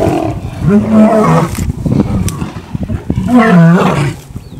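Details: Lions squabbling over a buffalo kill give two deep, harmonic growling roars, each rising then falling and lasting about a second, with rough snarls and shuffling between them.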